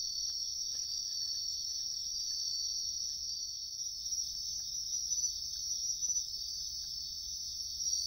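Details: Wild bell crickets in a riverbank woodland produce a constant shrill ringing trill, with scattered soft taps and rustles of searching underneath.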